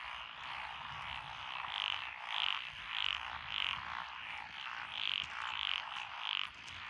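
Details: Frogs in lotus rice paddies beside a country road in Echizen, Fukui Prefecture, Japan, recorded 12 June 2021; a steady high chorus of Japanese tree frogs and other paddy frogs, with loud rounded croaks pulsing roughly every half second.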